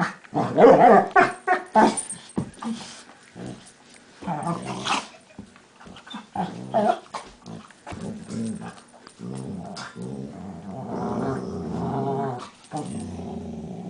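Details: Max and Leo, two household dogs, play fight. Dense, rapid snarling growls are loudest at the start, then break into choppy guttural bursts and a sustained rumbling growl toward the end.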